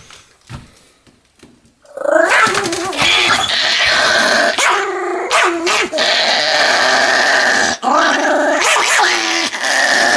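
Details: Pet Pomeranian dog vocalizing: after two seconds of near quiet with faint taps, a long run of loud, drawn-out, wavering whines and growl-like moans begins, sliding up and down in pitch with brief breaks, almost without pause to the end.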